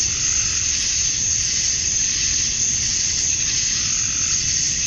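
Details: Male cicadas chirping to draw females during summer dusk in Georgia, USA: an unbroken high electric hiss, even in loudness throughout, with a bright ringing top edge and a faint low rumble beneath.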